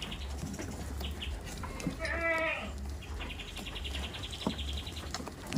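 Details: Farm goats kept in a village, with one clear harmonic bleat rising and falling in the middle, over steady low engine-like hum and scattered bird chirps and ticking sounds.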